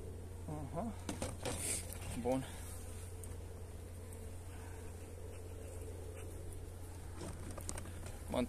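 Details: Continuous low buzzing of honey bees receiving energy cakes on a pleasant 29 January day. A few quiet spoken words come early, then the even drone carries on, ending with a louder knock.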